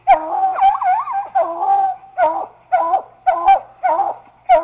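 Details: Treeing Walker Coonhound pup and a Bluetick baying at a caged raccoon. A warbling, drawn-out bawl opens, followed by shorter rolling barks repeated about twice a second.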